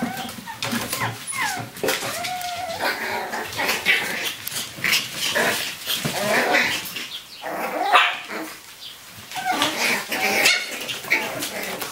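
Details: Chihuahua and Jack Russell cross puppies, eight weeks old, from a litter of seven born April 2015, running loose indoors in a conservatory; high, curving yips and short barks overlap in busy bursts, with scuffling and clatter throughout.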